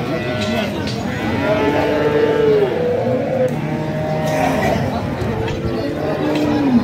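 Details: Cattle at a large cattle and goat market in Bangladesh, overlapping drawn-out moos, some sliding downward, heard through constant crowd chatter and background bustle.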